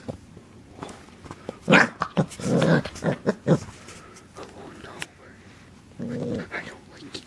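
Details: Corgi puppy attacking the camera, giving low growls and rough snarling barks in bursts around the middle, then a softer growl near the end, with some speech and handling noise in a small room.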